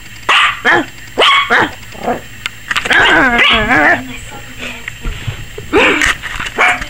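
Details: Yorkshire Terrier puppy Maggie, 21 weeks old, barking like crazy at the camera she seems to fear; quick high yaps, then a drawn-out wavering whine-bark near the middle, then more yaps, with voices faintly behind.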